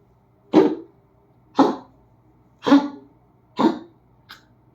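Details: Dog indoors in a small room giving harsh, cough-like huffs. Four strong broadband bursts come about one second apart, each fading quickly, then a fainter fifth at the end. A woman speaks softly to it afterwards.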